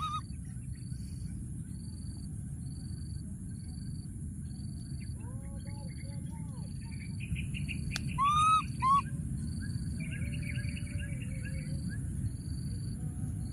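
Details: Wild baby monkey hiding in a thorny tree, calling for his friend: a few short squeaky arched cries in small clusters, over a steady low hum and a regularly repeating high beeping tone.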